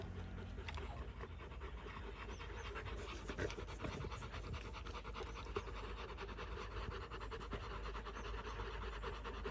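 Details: Rottweilers panting after a fight: continuous quick breathy huffs, fairly even in loudness, over a low steady background hum.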